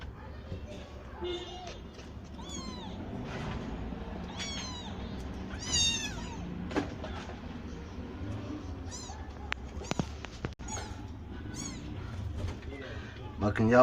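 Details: Several kittens born to rescued street cats and raised in a cat house meow repeatedly, overlapping high wavering cries in quick bursts through the clip, with knocks and light background noise.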